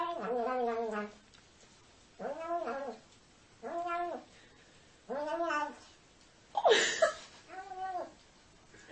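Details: Siamese cat yowling repeatedly indoors, six loud, nasal meows about every one and a half seconds, each arching up then falling, the fifth harsher and more strained.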